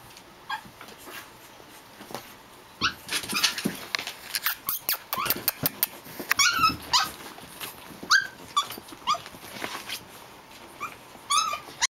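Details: Japanese Chin puppies at play, named Hestia, Fizzz, Asti and baby girl; bursts of scuffling and clattering mix with repeated thin, rising squeaks and short yips scattered through the romp.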